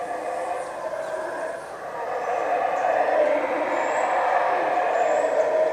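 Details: Sustained rumbling howls from howler monkeys at Yaxchilan ruins in the morning, a steady harmonic drone that grows louder halfway through, with faint high whistles above.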